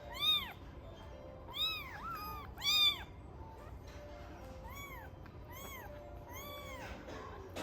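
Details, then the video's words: A domestic kitten that will not drink its milk cries beside another kitten in a good mood after feeding. It gives about seven thin, high, arched mews in short clusters, rising then falling, over a faint steady background hum. "KINAKO, która nie chce pić mleka, płacze obok WARABI w dobrym humorze."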